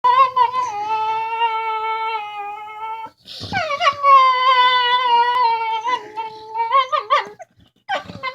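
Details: Two dogs make funny talking noises to each other over a bone: long, sustained, harmonic whining tones that hold steady, then break off and resume, wavering and climbing toward the end in vocal, almost sung phrases.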